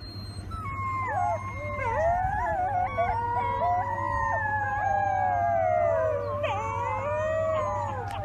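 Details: Young wolf pups howling together, a tangle of drawn-out, bending howls weaving above and below one another, with a few brief squeaky breaks and a constant low background hum throughout.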